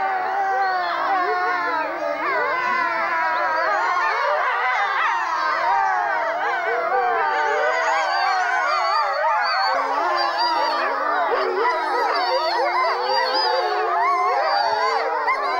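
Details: Pack of grey wolves, including a black melanistic wolf, howling together: many overlapping wavering howls, some rising and falling, layered into a dense continuous chorus with yips, steady and loud throughout.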